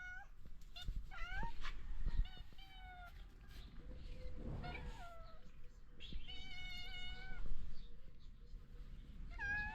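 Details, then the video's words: Stray street cats in Morocco greet their feeder in the morning while seeking food, giving a run of rising, harmonic meows, several in quick succession, over low background rumble. "Street Cats Welcome Me with Love, Seeking Food and Care Every Morning"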